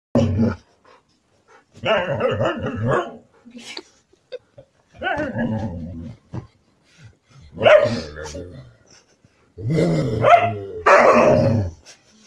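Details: Siberian Husky quarrelling with its mate. Four drawn-out, grumbling, howl-like vocal bursts of one to two seconds each over twelve seconds, with rough harmonic tones and short pauses between them.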